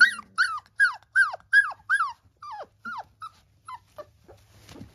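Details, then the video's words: Whining calls from three-week-old Labrador Retriever puppies: a run of high, falling squeals repeated roughly every half second, fading into shorter, softer whimpers and a brief rustle at the end. "3 weeks Labrador Puppies"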